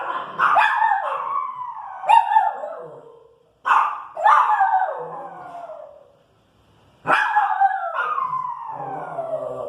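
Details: Pinscher dog, female, irritated by noise in the street, giving loud high barks that slide into falling howl-like whines, in three bursts separated by short silences.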